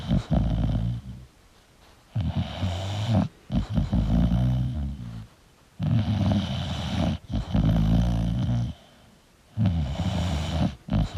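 An English Bulldog snores deeply, with rumbling, throaty breaths repeating every few seconds.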